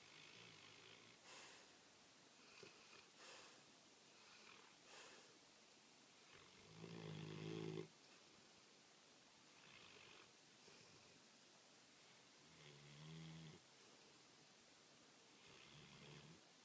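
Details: A female American Pit Bull Terrier snores while asleep with low, rumbling, rasping breaths at irregular intervals.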